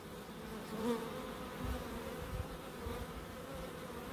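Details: Bees buzzing in a small wildlife garden at an end-terrace house in Crookes, one hum swelling briefly near the start over a constant soft drone, with a few low dull knocks later.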